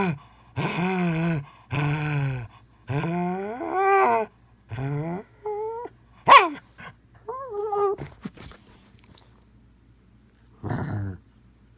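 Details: Jack Russell and Pug mix dog asking for food: a run of drawn-out, moaning groans and whines about a second each, several bending upward in pitch, then shorter rising yelps, a sharp squeak and a final low groan.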